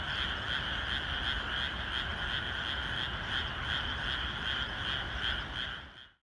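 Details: Rice-paddy frogs calling in the rain the day before planting; a thick, evenly pulsing mass of croaks with rain noise below, fading out abruptly at the end.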